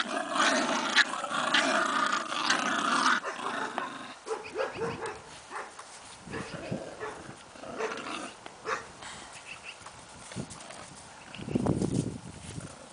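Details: Bulldog grunting and growling in rough, noisy bursts, loudest in the first three seconds, then broken snorts and huffs, with a final louder growl near the end.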